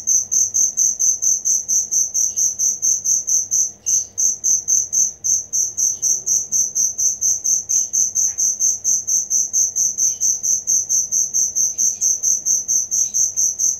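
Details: Genuine cricket chirping meant as song material for cage birds: high, bright pulses repeating quickly and regularly, briefly faltering near the fourth second, with faint scattered ticks in the background.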